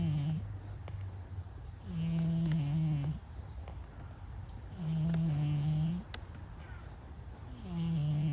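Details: Stray brown-and-white cat snoring in its sleep: steady, low, buzzy drones of about a second, repeated roughly every three seconds in an even rhythm, with faint clicks in the quiet intervals.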